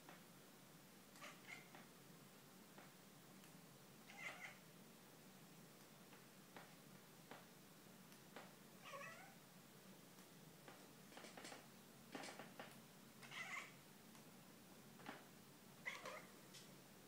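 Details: Domestic cat named Gurbachov indoors making strange noises: a series of short, quiet, chirping and mewing calls, some with faint harmonic bands, coming in clusters of a second or so with brief pauses, over a low steady background hum.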